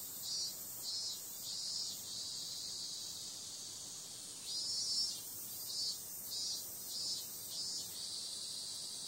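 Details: High, insistent cicada buzz on a summer night, throbbing in short regular pulses, flattening into a steady drone for a couple of seconds, then pulsing strongly again to the end.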